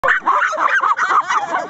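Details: Several excited Cairn terriers waiting their turn at rat races, eager to fly through a tunnel after rats; dense overlapping high yelps and yips in quick bursts, squealing and continuous, with a short laugh just after.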